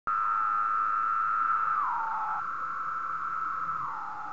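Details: Cicadas singing on a moth sheet at 3 am at night; males produce the sound by vibrating drum-like tymbals. A loud, steady, even-pitched whine holds for nearly two seconds, then slurs downward, recovers, and drops again near the end.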